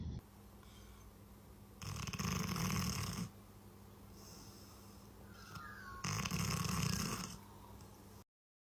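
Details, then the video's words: Pet dog asleep, giving two long, rasping, rough-textured snores roughly four seconds apart, each lasting over a second, over a steady low hum with faint background noise between breaths. "Snoring Dogs"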